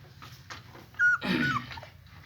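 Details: German Shepherd puppies with their mother nearby: a thin, steady, high whine that lasts about half a second, after faint soft whimpers, then fades into a rough, breathy murmur.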